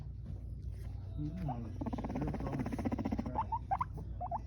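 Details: Abyssinian guinea pig (Cavia porcellus), a male having fun making noises, chattering with rapid pulsed rumbles and short rising squeaks.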